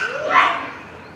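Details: Troop of captive Japanese macaques at a zoo in Hamura, Japan, calling noisily at dusk near closing time in December 2020; a single loud rising-then-falling cry with a short echo.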